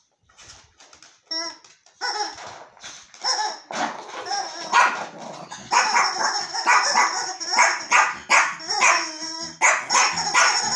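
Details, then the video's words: Yorkshire terrier Archie getting to know a new toy indoors: a few quiet early yips, then steady loud, high-pitched barking with some whining tones, dense and continuous through the second half. "Йоркширский терьер Арчи знакомиться с новой игрушкой"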